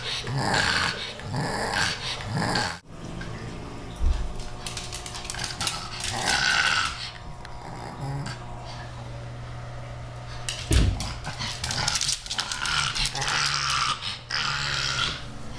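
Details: Female pug Rudy trying to get kitten Ms. Creamy to play; bouts of throaty growling and snorting alternate with quieter pauses, plus a few scuffling knocks.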